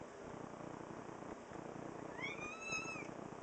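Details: Two-year-old female pet cat, a chatty talker recorded in September 2010, meowing in reply when spoken to: one drawn-out meow about a second long, rising slightly then holding steady, between a woman's affectionate talk indoors.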